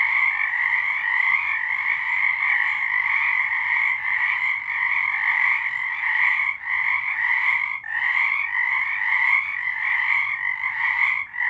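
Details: Frogs singing at night in March 2023, a dense continuous chorus of overlapping trilled croaks in two bright bands, high and steady, with brief dips in loudness near seconds seven and eight; no other sounds stand out.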